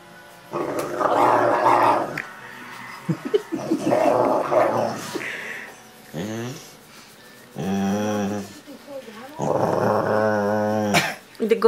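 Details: A Rottweiler, talking while being cuddled, makes drawn-out, throaty groans and warbling moans, rising and falling like a grumbling conversation, while a woman speaks gently between the sounds over faint background music.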